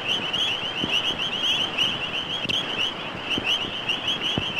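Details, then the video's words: A dense chorus of frogs and toads at a rural homestead in Zulu country, South Africa, recorded in 1956, gives a steady, high, pulsing trill, with many callers overlapping and faint low knocks underneath. "Toads and frogs"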